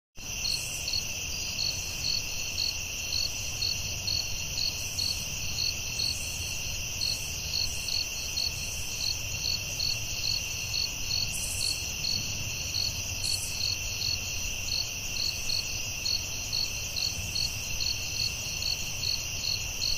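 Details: Crickets at night in a forest: a dense, continuous high chirping with rapid evenly pulsed trills, a steady shrill tone layered beneath, and a soft low rumble of background noise throughout.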